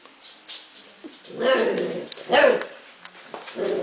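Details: Arya, a husky puppy, gives two strained, harmonic yelping vocalizations about a second apart, the second louder and rising, then a short softer whine at the end, with quiet low murmurs between.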